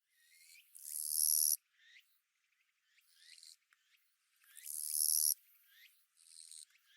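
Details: Japanese katydid of western Japan singing: short clicking chirps, then a loud, hissing, metallic buzz lasting almost a second. The pattern repeats about every four seconds, with faint scratchy notes between the buzzes.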